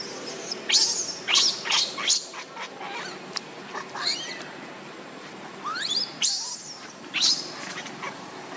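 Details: Hungry baby monkey Lucie pleads for milk with shrill, rising squeals, some sweeping upward, others short and clipped, coming in quick uneven bursts throughout.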